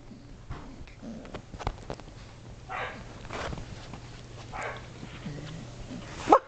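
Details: Shetland Sheepdog puppies, about seven and a half weeks old, playing, climbing and wrestling indoors in a great room; a few short yips and barks rise over steady scuffling and handling noise, ending in a sharp click.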